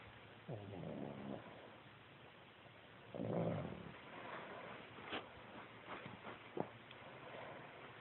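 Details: Pug snoring: a rough, pulsing breathy rasp with a strong burst near the start and a louder snort around three seconds, followed by quieter sniffs and clicks, recorded on a phone.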